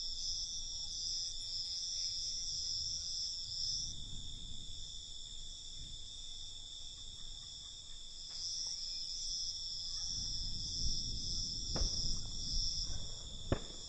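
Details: Night chorus of crickets: continuous high-pitched shimmering trills that swell and fade slightly. Soft low rumbling noise sits below, and a few sharp clicks stand out near the end.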